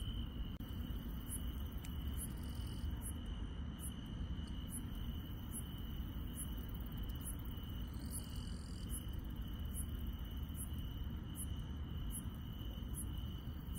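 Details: Insects calling at night in the countryside: a persistent high, steady ringing trill, with rapid very high chirps recurring at short intervals and a constant low-frequency rumble beneath.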